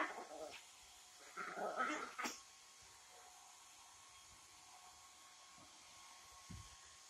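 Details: A female Yorkshire Terrier, after her bath, lets out two short bursts of high, snarling growl-barks, fighting a hair dryer whose steady mechanical whir runs underneath.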